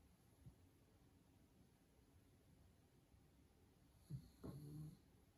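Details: A sleeping pug gives one low, rasping snore with a short snort near the end, after several seconds of quiet breathing.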